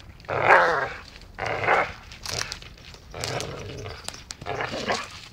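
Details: Playful dachshund biting; short throaty growls and grumbles in irregular bursts, the first strongest, later ones broken up by clicks and scuffling sounds.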